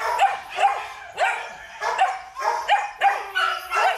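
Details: Barking from a male Belgian Malinois at a dog breeding farm: about eight clipped, bright barks spaced near half a second apart in pairs, slightly whiny tone at each onset.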